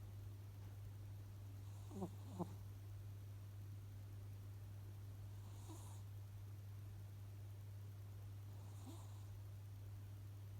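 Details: Cat asleep and snoring: faint whistled breaths recurring roughly every three to four seconds, with two quick clicking sounds early on and a steady low hum underneath.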